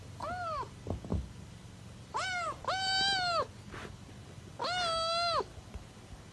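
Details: Kitten meowing in three drawn-out calls, each a harmonic-rich tone that rises then falls, the later two long and level; soft knocks and low background hum between calls.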